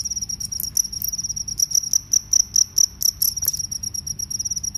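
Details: Crickets in a recording comparing field crickets with forest crickets. Loud, high, shrill chirps come in quick, slightly uneven pulses, about two bursts per second. A faint low hum runs underneath.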